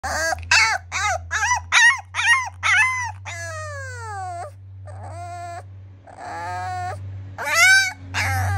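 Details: Siberian Husky puppy trying to escape, giving a rapid series of high, sharp yelping whines, then longer falling whimpers and drawn-out cries, ending in more loud yelps; a steady low hum runs underneath.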